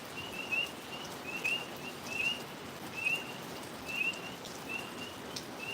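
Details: A tree frog chorus by a pond in a wetter-than-normal season gives brief, high, upward-sliding peeps, repeated steadily about once a second over a soft outdoor hiss, perhaps light rain.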